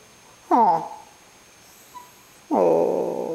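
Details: Indoors, Charlie the Cavalier King Charles Spaniel whimpers for his absent owner: a short falling whine, a pause, then a longer steady plaintive whine, while a woman comforts him that it's rough.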